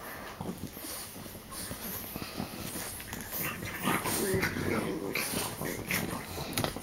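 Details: Snorting French bulldogs wrestle three on one in play-biting. Husky, breathy snorts and wheezes come in a fast, uneven run, about two a second, with some speech mixed in.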